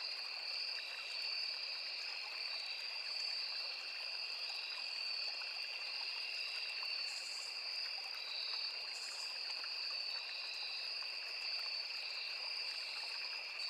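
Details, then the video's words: Crickets among cicadas and other insects in a forest beside a small river: a steady, unbroken high trilling chorus at two distinct pitches, with brief buzzy bursts near seven and nine seconds, over constant rushing stream water. "Sound of Forest and Small River | Crickets, Cicadas, Insects | 9 hours Nature Sound"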